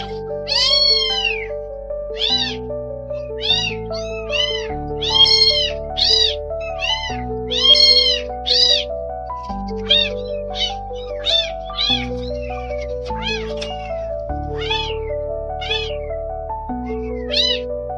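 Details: Rescued newborn kittens, left as strays in the rain, utter rapid series of short and long meows, some shrill. Piano-like music with a sustained bass runs underneath the whole time.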